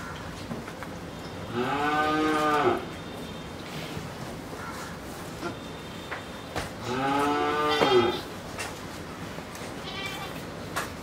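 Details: Sahiwal bull of Pakistani stock, two-tooth and just over two years old, at Pabna, Bangladesh: two long, resonant moos about five seconds apart, each over a second long, with a faint shorter call near the end amid low background noise.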